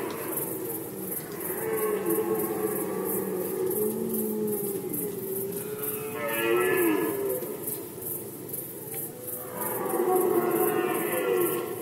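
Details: Red deer stags roaring during the rut in Poland, 2020: long, drawn-out harmonic bellows, the first lasting about four seconds, then a shorter groan and a final swelling roar, over a steady high-pitched ticking in the background.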